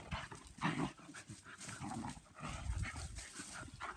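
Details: Two or more German Pinscher girls playing outdoors in their yard, one loud gruff growl-bark burst early, then rumbling snarls that rise and fall in short waves.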